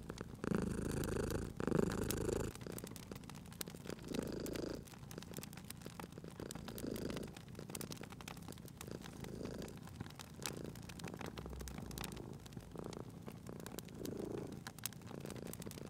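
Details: Sleeping pet cat near a crackling fire; a strong rumbling purr opens the stretch, then fades to quieter pulsing purrs, with continuous crisp fire crackling and popping.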